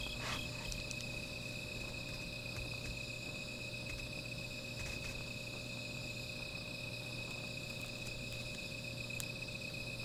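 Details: A steady night chorus of insects beside a small fire, high continuous trilling with occasional soft crackles.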